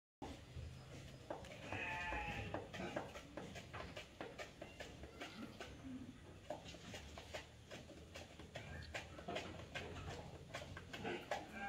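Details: Etawah goat in Indonesia giving one wavering, harmonic bleat early on, followed by a long run of sharp, rapid clicking and knocking sounds over steady low background noise.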